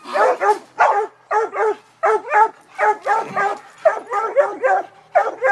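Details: Eight-month-old female Redbone Coonhound in training, seeing a raccoon for the first time, gives fast, excited, chopped barks with a bawling ring, about fifteen in five seconds, nearly continuous and dominant throughout.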